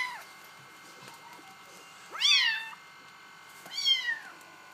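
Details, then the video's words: Two loud, high-pitched meows from Bengal kittens, each rising briefly then sliding down, about one and a half seconds apart, after the tail of an earlier call; soft indoor hum underneath. "Bengal kittens"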